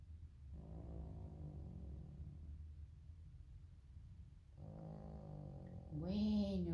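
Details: Elderly female pug, roused before she had finished sleeping, complaining rather than snoring: two long, low, droning harmonic grumbles of about two seconds each, then a brief higher rising vocal sweep at the end, over a steady low hum.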